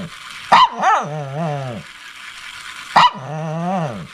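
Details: Shih Tzu barking: two sharp yaps, each trailing into a long wavering whine that rises and falls in pitch, roughly two and a half seconds apart, in a quiet room.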